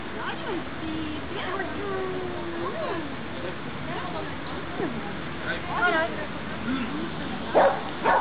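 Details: At obedience practice on 23 June 2012, Pixel the dog makes thin, wavering whines and yips that rise and fall, then two louder barks close together at the end, with talking and background hiss throughout.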